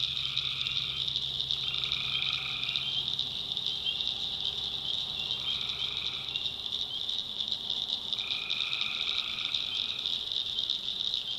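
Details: Tree frogs in a North Carolina backwoods swamp after dark: a few drawn-out buzzy trills, some over a second long, against a constant high-pitched ringing chorus.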